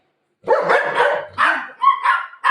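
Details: During play over a pillow, golden retriever Buzo lets out a long rough bark followed by shorter yelping barks that trail off, loud and close.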